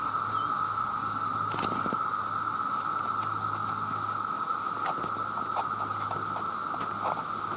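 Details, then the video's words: Massed male cicadas calling for mates, millions together: a loud, unbroken droning whine holding one steady pitch throughout, with scattered sharp clicks and a faint low hum underneath. "The Sound of The Cicada"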